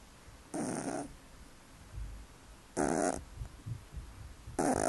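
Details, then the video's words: Sleeping cat snoring: loud raspy breaths recur about every two seconds, with low rumbles in between. "спит и храпит"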